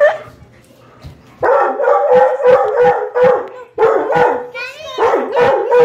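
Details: Loud dog barking and howling while crying for another dog: a rapid run of rough barks merging into a wavering howl, a brief pause, then more barking.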